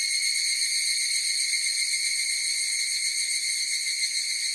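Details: Chorus of higurashi cicadas: a steady, shimmering high ring of stacked tones with a faint fast pulsing, holding even loudness throughout with no other sounds.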